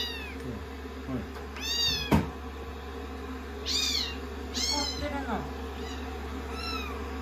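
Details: Rescued kittens on a lap after a shampoo, being dried and acting affectionate on day 16 of their growth record: high, arching meows repeat about every second. A single sharp click sounds midway over a steady low hum.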